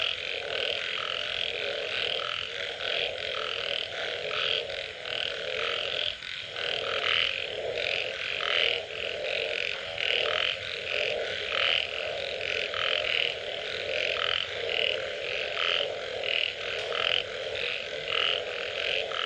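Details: After rain, many frogs call together in a ceaseless wall of sound: deep burping croaks beneath a shimmering mass of fast pulsed trills, with louder notes surging roughly every second and a brief dip near the middle.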